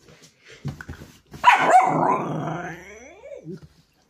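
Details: A whippet being wound up by its owner lets out a loud, rough, drawn-out growling bark that trails into a falling whine, after a few soft huffs and scuffling sounds.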